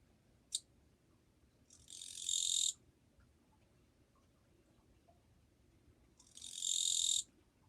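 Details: Japanese katydid, 2 July 2023, in a fairly quiet place: a brief sharp tick, then two dry, high buzzing chirrs about four and a half seconds apart, each swelling for around a second before stopping short.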